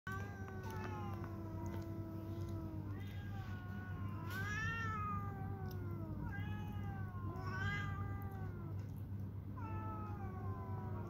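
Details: Domestic cats fighting, with drawn-out wavering yowls and caterwauls that rise and fall in pitch, several overlapping howls in bursts roughly every two seconds over a steady low hum.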